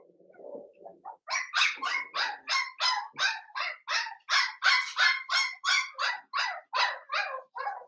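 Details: Cavalier King Charles Spaniel puppy, Blenheim coloured, seven weeks old, one of a litter of five in a puppy pen. A low grumbling whine opens, then a steady string of about sixteen shrill barks at an even pace.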